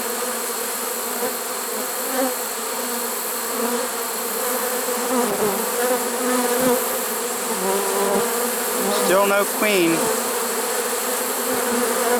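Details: Late-season honey bee swarm taken in a swarm trap on September 1, 2019; continuous droning buzz of many bees, with a brief rising and falling whine near the ninth and tenth seconds over the steady hum.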